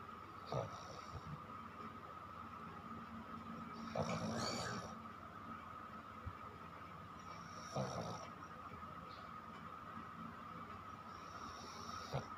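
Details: Chiko, a pet dog, snoring while asleep; soft rasping snore bursts recur about every four seconds over a steady low indoor hum.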